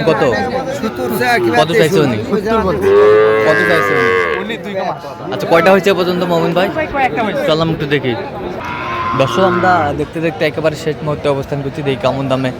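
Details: Sahiwal bull calf trading at a cattle market near Comilla, Bangladesh, in January 2025: two drawn-out moos, one early and one later, break through busy overlapping human speech and market bustle.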